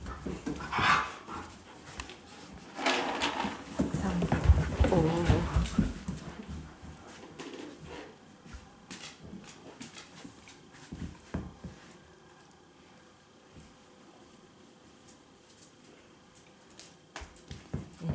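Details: Indoors in Japan, a pair of Siberian Huskies, a chocolate-and-white male and a red-and-white female, whine and yowl in high-spirited bursts before going out for a walk. Loud harmonic cries fill the first five seconds, then fade into panting, shuffling and quiet clicks.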